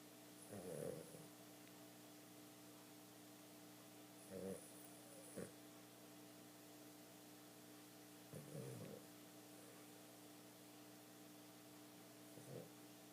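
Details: Female Boston Terrier, asleep and twitching as if dreaming, snores in rough, rasping bursts every few seconds over a steady indoor hum.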